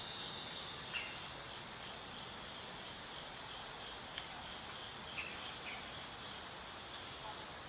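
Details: Summer drone of a dog-day cicada, Neotibicen canicularis: a high, hissing buzz, slightly louder at the start then even, with a few faint clicks and ticks scattered through.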